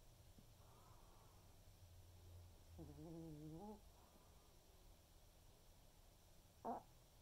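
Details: Senior Pomeranian named Waldo snoring through an afternoon snooze indoors: soft, low rumbling breaths throughout, one wavering nasal drone lasting about a second midway, and a brief sharp click near the end.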